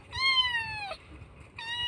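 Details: Kitten in Indonesia crying loudly for its missing mother: one long high harmonic-rich meow, held steady then sliding slightly down, followed by the start of a second meow.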